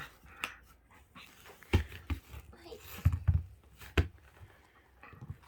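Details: Shetland Sheepdog indoors, lying on its back while being brushed, perhaps with hay fever: several short, sharp, snorting sneeze-like bursts spaced about a second apart, with soft snuffling and panting between them.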